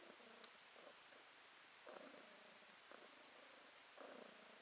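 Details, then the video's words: Pet cat Podushka purring during August 2022, with short rumbling pulses arriving about once per second, the inhale and exhale phases clearly alternating, a soft steady vibration over low household background. "Кошка Подушка урчит"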